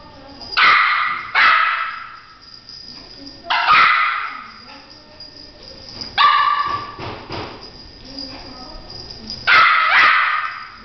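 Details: French Poodle barking excitedly while chasing the spot of a flashlight indoors; sharp, bright barks in short bursts, about five or six spread over eleven seconds, some coming in quick pairs, with quiet rustling between.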